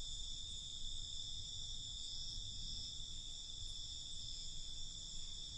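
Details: Crickets at night, a steady, unbroken high-pitched trill in stacked shrill bands that never pauses, over a soft low rumble of background noise.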